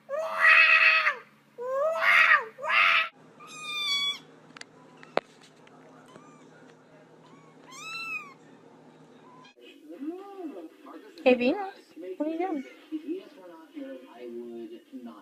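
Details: Cat giving loud, drawn-out meows, two strong bent calls in the first three seconds, then thinner rising mews and a lower wavering yowl series, with human speech in a small room.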